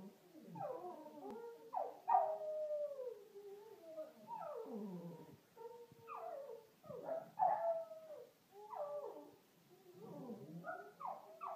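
A Lhasa Apso howls in wavering, rising and falling yowls, breaking into yips and whimpers.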